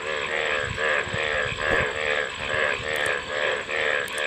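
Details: Rapid, rhythmic frog croaks pulse in quick succession, several callers overlapping in a loud chorus, with a couple of sharp high ticks near the end.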